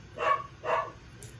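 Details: Two brisk yaps from seven-week-old puppy Lucille, a fraction of a second apart, loud and close in a quiet room.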